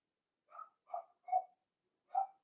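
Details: Blenheim Cavalier King Charles Spaniel puppies from a litter of five born at New Year, in an indoor puppy pen on Theo's pick-up day: four soft, short yips spaced about half a second apart, then a pause before one last yip.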